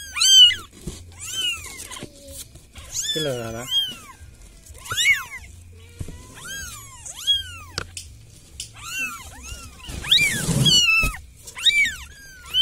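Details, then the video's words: Village cat calling for help, giving a long run of loud, high meows, each arching up and falling away, repeated roughly every second; one rough, lower growling cry in the middle and a burst of scratchy noise near the end. "SUARA KUCING MINTA TOLONG"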